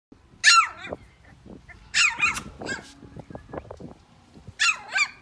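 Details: Pomeranian puppies in Delhi give three high, squeaky yelps spaced about two seconds apart, with softer scuffling and low sounds between them.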